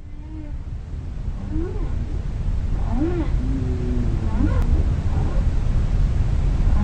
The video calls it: Humpback Whales Underwater Sounds